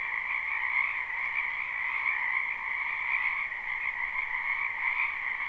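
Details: Live, unlooped recording of a spring wetland full of frogs: constant overlapping croaks form a smooth, humming chorus at two pitches, swelling gently for a few seconds, with faint background hiss.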